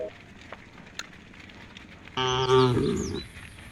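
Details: Tame cow from a herd walking toward a field at the forest edge gives one short, rich, harmonic moo lasting about a second, after faint rustling and scattered clicks in a quiet outdoor setting.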